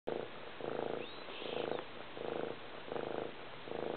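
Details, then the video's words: Domestic cat giving a very loud purr: rough, pulsing rumble in steady bursts, roughly two per second as the breath goes in and out, with brief gaps between. "Kitty Love - Loudest Purr Ever!"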